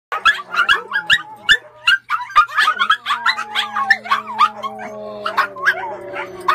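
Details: Several Pomeranians barking in quick, high yapping bursts, many overlapping yips through the whole stretch, with a steady sustained tone running underneath from about the midpoint onward.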